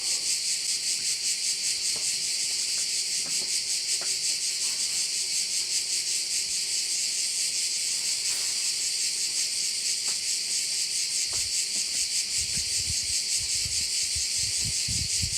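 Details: Crickets heard at one of Korčula's bays, their hissing high chorus pulsing evenly for the whole stretch, while low rumbling thumps, like wind or handling, rise in the last few seconds.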